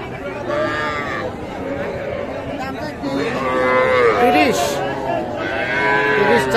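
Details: Young cattle at the traditional Ambari market, Parbatipur, Dinajpur, Bangladesh, on a Friday in May 2024; several short, wavering moos rise over loud crowd chatter, and the market noise swells midway through.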